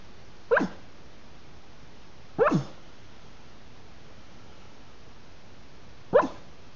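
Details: Dreaming Staffordshire Bull Terrier puppy asleep, producing three quiet, clipped yips spaced about two and four seconds apart against a steady low background hiss.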